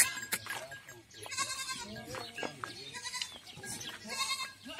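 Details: Goats at a farm in Ajmer, Rajasthan, India, bleating in wavering, nasal calls, one near the start and louder drawn-out bleats around the middle and end, over a busy background of rustling and faint voices.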